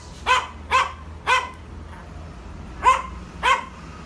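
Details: Yorkshire Terrier barking to provoke, at home: five sharp, bright barks in two bursts, three quick ones then two more after a pause, over a low steady background hum.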